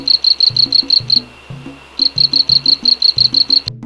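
A tree frog calls in quick, high, chirping pulses over a simple musical backing.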